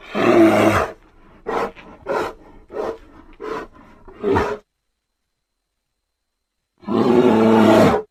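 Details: Grizzly bear opening with a long rasping roar, followed by a rapid run of about six short, choppy grunts, then two seconds of silence before a final sustained, harsh roar.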